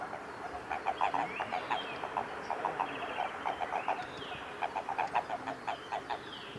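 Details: Mating Japanese common toads in amplexus, recorded 22 April 2018 at Kawaguchiko Field Center, Japan. Rapid bursts of low, throaty clucks come in uneven runs, overlaid by faint downward-sliding whistles higher up.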